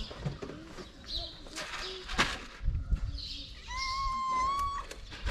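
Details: A hungry, pregnant stray calico cat on the street in Morocco, being fed. It gives one steady, drawn-out meow of about a second near the end, over clattering street noise and Arabic speech.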